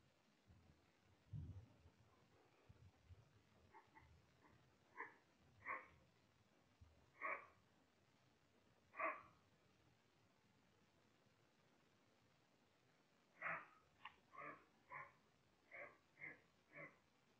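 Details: Roe deer (Capreolus capreolus) that came very close and sensed a human, likely by smell, gives hoarse "beoff" alarm barks, spaced then quicker, warning other deer of a threat; filmed via thermal camera.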